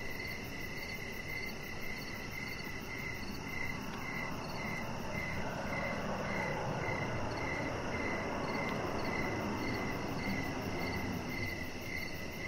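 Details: Evening cricket chorus near a deck where a chihuahua puppy named Rocket lies; bright pulsed chirps repeat regularly, roughly twice a second, with a fainter higher pulse train and constant low rumble beneath.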